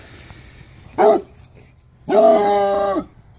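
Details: Bluetick Coonhound baying a skunk: a short sharp bark, then after a pause a longer sustained bawling bay of nearly a second with rich harmonics and level pitch.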